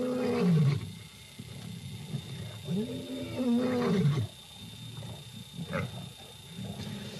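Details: African lions of the night in southern African bushveld give deep moaning roar calls that rise then fall in pitch, two long calls about three seconds apart, with a faint steady hum and soft background noise.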